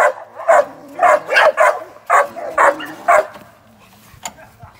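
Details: Young American Staffordshire Terrier, a working sporting dog in training ahead of ADBA shows and sporting events, gives six loud, sharp barks in quick succession, then falls quiet apart from a faint knock.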